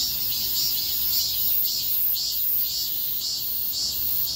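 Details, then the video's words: Cicadas chorus along a street during a heatwave: a dense, shrill buzz that swells and pulses roughly twice a second. "폭염속 매미들의 거리합창"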